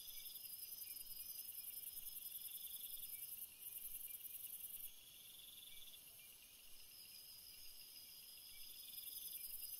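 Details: Night cricket chorus: steady high, shimmering bands of dense trilling that hold for seconds and shift slightly in loudness, with layered insect voices and no other clear sounds.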